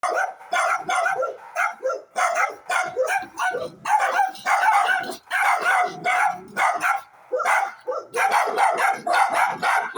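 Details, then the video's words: Several dogs barking in a dense, overlapping chorus of short, sharp barks with almost no pause over ten seconds, each burst rough and mid-pitched, volume staying high throughout. "dogs barking"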